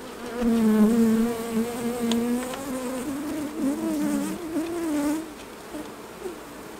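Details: Honey bee at a hive during honey harvest, a steady low droning buzz with a wavering pitch that rises and dips for about five seconds before fading, over faint background hiss.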